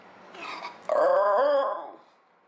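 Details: Pet Basenji dog, one of two at home, yodelling: a soft whine rises into a loud, wavering, tonal howl that lasts under a second and then fades.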